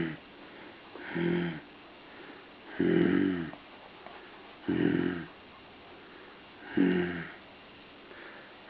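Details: Puppy making raspy, snore-like breathing sounds, four harmonic-rich bursts about every two seconds, each under a second long, with quiet pauses between in a still indoor space.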